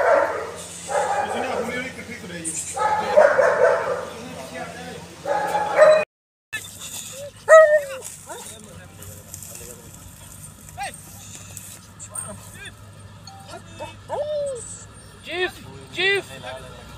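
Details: German Shepherd: human speech fills the first six seconds, then short, sharp, rising barks and yelps come near the eighth second and in a quick cluster over the last three seconds, with quiet pauses between.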